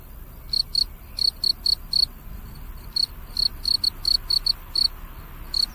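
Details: Cricket. A cricket gives bright, high, ringing chirps, each a brief trill, delivered in quick pairs and short runs. The calls stand out clearly over a faint, steady background hiss.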